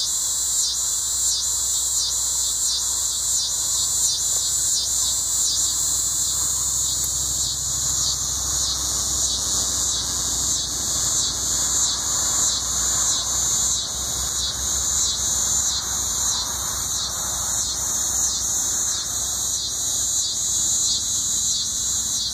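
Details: Coastal scissor grinder cicada calling at Sea Isle City, New Jersey, in August 2016; a piercing high grinding buzz pulsed in a fast even rhythm, sustained without break, with a faint low rumble beneath.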